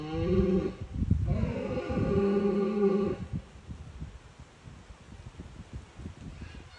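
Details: Red deer stags in Bushy Park during the rutting season, roaring to deter rivals. Deep, harmonic bellowing groans come in bursts over the first three seconds, then give way to quieter low rumbling and rustling.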